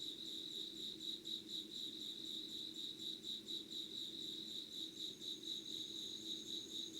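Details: Chorus of calling insects at Yugawara, Kanagawa, Japan, early morning of 25 August 2019: shrill beating trill pulsing about twice each second, a faint high sustained whistle joining late, and a low background drone.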